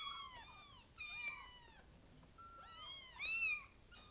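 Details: A few high kitten mews, drawn-out and slightly falling, in two clusters separated by a quiet pause, the last cries louder and brighter.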